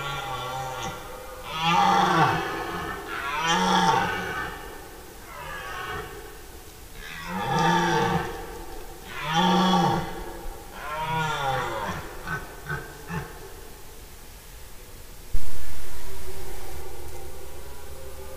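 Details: Red deer stags roaring in the rut, recorded in forest 10–15 September 2018, when stags roar day and night; deep, harmonic, bellowing roars in repeated bursts about every two seconds, some swooping down and up, ending with an abrupt loud low thud.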